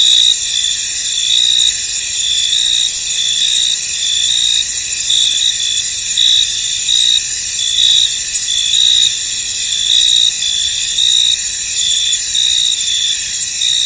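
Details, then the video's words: Field crickets calling in fog over a misty meadow, a constant shrill insect buzz pierced by repeated brighter chirps at an uneven pace, loudness swelling and dipping slightly throughout. "Tranquil Cricket Sounds In An Misty Field"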